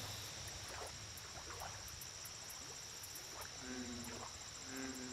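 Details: American bullfrog calling at a lake: two low, humming harmonic croaks near the end, each under a second, set against a constant shrill insect drone, rhythmic ticking and scattered short frog chirps.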